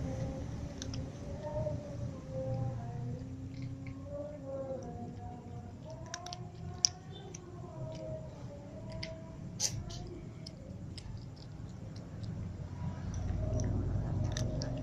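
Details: Several domestic cats, including a ginger cat and little cats, meow while being fed; repeated wavering, mid-pitched meows overlap one another over a steady low rumble, with scattered clicks and chewing noises.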